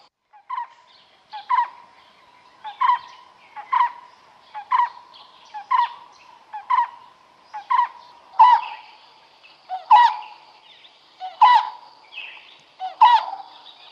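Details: Smooth-coated otters fishing in the Karnali River, Bardia National Park, Nepal, give a steady series of short, sharp squeaky chirps, about one each second, roughly fourteen in all. Later notes grow louder and harsher, over a thin high background hum.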